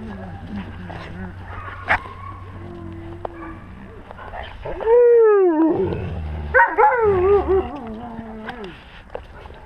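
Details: Pack of wolves heard up close from a GoPro at wolf level: soft murmuring and a clear tone, then a sliding, downward-bending howl and wavering, whining cries, with low rumble underneath.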